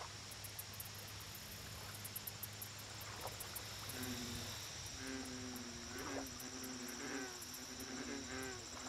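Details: American bullfrog calling at a lake: deep, harmonic, droning notes come in a loose series from midway on, each about half a second long. Rapid high insect ticking and a steady low hum run underneath.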